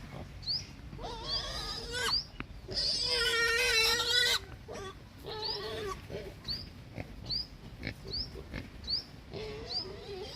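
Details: Pig; hunger squeals; hunger, calling for food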